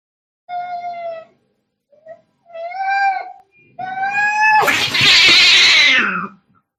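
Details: Angry cat fighting: three drawn-out, steady, wailing yowls separated by short pauses, the last breaking into a loud, harsh, hissing screech that fades into a falling growl.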